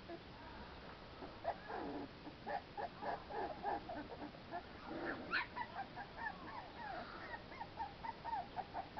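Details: Playful American Pit Bull Terrier pups outdoors, getting fresh air: a busy stream of thin, squeaky whimpers and yelps, several per second, overlapping as the litter tumbles about, with a few sharper higher squeals mid-way.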